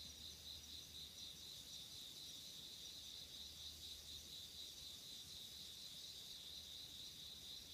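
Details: Insects calling on an autumn night in 2016: a steady pulsed trill near four kilohertz with a fainter, higher shimmering band above it, continuous throughout, with a low background hum.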